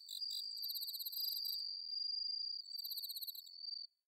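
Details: Bell cricket singing on an autumn night in rice paddies at Inba-numa, Chiba, Japan: a high, steady ringing tone held for over three seconds, overlaid with rapid pulsed chirps from other crickets, ending abruptly.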